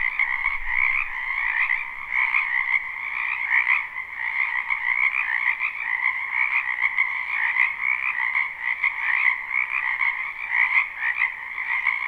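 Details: Frog chorus from a wetland in spring, captured live: constant layered croaking, fast buzzy pulses merging into a continuous drone at two pitches, with small surges every few seconds and no other clear sounds.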